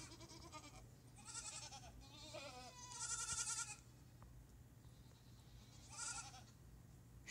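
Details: Several bleats from a herd of goats hoping for grain: a run of quavering, nasal calls in close succession over four seconds, a pause, then another short bleat near the end, with a person talking quietly.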